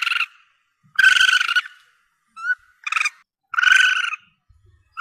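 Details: Young Asian palm civet, a recording meant to lure the animal when hunting: harsh, nasal mewing squeals of about half a second, one short faint chirp between them, given in an uneven series with brief silences.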